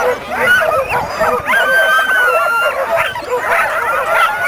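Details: Sled-race dogs at the 2007 Caribou Carnival bark and yip together continuously, with one long drawn whine partway through and steady crowd murmur.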